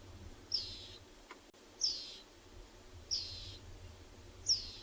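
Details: On a morning safari drive in a South African game reserve on 3 August 2020, a dwarf mongoose caught by a young male predator keeps calling with sharp, high chirps, repeated about every second and a half.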